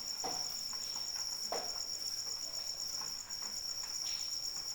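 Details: Two cricket trills layered at different pitches in falling rain, the upper one beaded with rapid pulses, both continuous through the moment while raindrops tap and splash irregularly beneath them.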